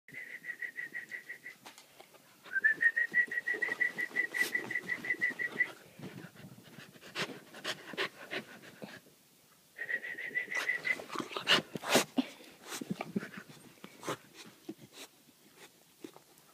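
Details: A cheeky nine-month-old Keeshond whining in long, high, steady tones lasting several seconds, with pauses between them, along with clicks and light tapping sounds.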